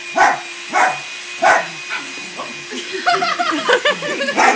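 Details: Weekend play between a new puppy and three other dogs: three evenly spaced barks open, then rougher growly, grumbling vocal sounds run together as the romp continues, a faint steady hum underneath.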